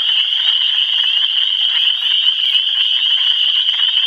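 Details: Michigan frogs in full chorus: countless high-pitched calls overlap into one continuous, piercing trill that holds steady throughout, with no other sounds standing out.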